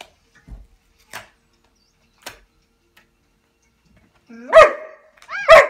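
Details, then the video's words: Podenco Ibicenco dog during a pig attack: a few faint clicks and thuds, then two loud, sharp harmonic barks near the end, about a second apart, the first rising from a lower whine. "Crazy Pig Attack- PODENCO IBICENCO"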